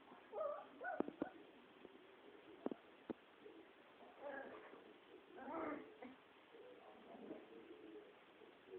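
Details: Three-week-old Border Collie puppies playing together as their walking grows steadier. Short high squeaky whimpers come in scattered bursts, mixed with a few sharp knocks and a faint steady background hiss.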